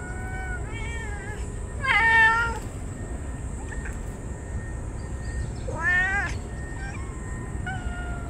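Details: Stray ear-tipped cats crying out while rubbing against each other on a very hot day as they are fed, showing joy: several bright, wavering meows, two louder rising-falling cries near two and six seconds, over a steady low hum and high whine.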